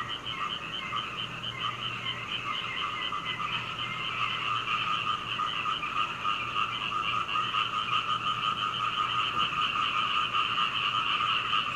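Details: Night frog chorus heard from a second-floor window at home in Hunei, Kaohsiung, Taiwan, 21 May 2019, Canon PowerShot camera: dense overlapping croaks in rapid pulsing trains, swelling louder over the seconds into a continuous rattling wall.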